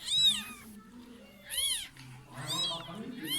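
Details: Meows around a mother cat that slipped into a neighbour's house and gave birth to kittens indoors; about four high, arched meows spaced through the clip, with a man speaking Turkish between them.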